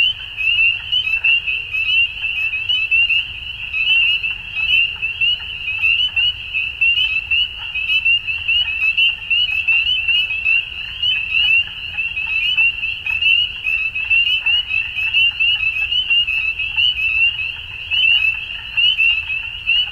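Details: Frogs calling at dusk: a dense, steady chorus of rapid, high-pitched trilled pulses repeating without pause, with fainter croaking notes scattered beneath.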